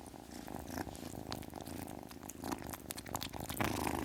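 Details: A kitten purrs in a dense low rumble throughout, overlaid by brief crackling and breathy noise bursts, growing slightly louder toward the end.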